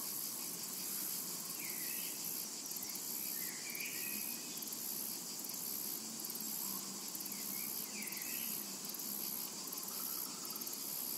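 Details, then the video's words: Summer meadow cicada chorus: continuous thin, very high buzzing with a quick pulsed texture, while scattered birds chirp short sliding notes in the background. "Summertime and Cicada Ambience"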